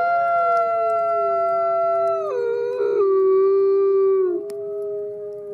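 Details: White wolf howling during snowfall: sustained, smooth tonal howls with strong overtones, pitch stepping down in gentle slides partway through, then holding level to the end.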